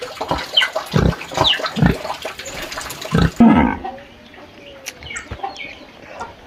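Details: Pig crying in its sty on a farm: several gruff grunts and snorts in the first half, then the noise drops away to quiet rustling with a faint higher call or two.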